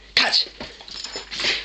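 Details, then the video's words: Pet dog indoors giving a sharp sneeze-like snort, then softer snuffling huffs and a breathy rush at the end, with a person praising it and telling it to sit and catch. "Dog making noise"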